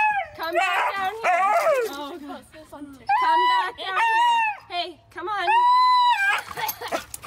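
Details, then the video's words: A male Husky throws a tantrum while being bathed, letting out wavering, yodel-like whines and drawn-out howling 'woo' notes that bend up and down in pitch. A sustained steady howl comes near the end, and a person speaks in between. "Husky Throws Tantrums While Pet Parent Tries to Give him Bath"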